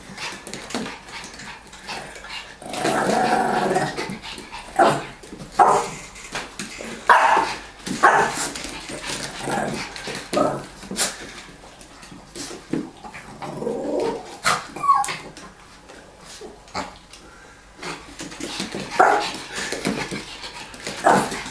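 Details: Lilly keeps trying to grab a ball from her owner while the older, bigger Tomy, seemingly jealous, gets in her way. Scattered short barks and low growls rise above clattering play noise, with a voice heard now and then.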